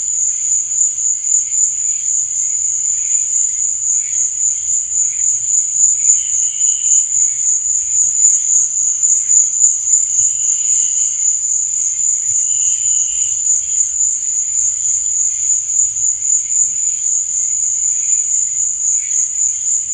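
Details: Unbroken high trilling of crickets after dark, fast regular pulses holding steady for the whole stretch, with scattered quieter chirps lower down and a soft low background hum.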